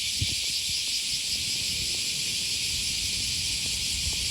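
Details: August morning cicada chorus by the Okawa River, Osaka, Japan: a constant bright hiss-like drone, with footfalls and a distant low hum of the city below it.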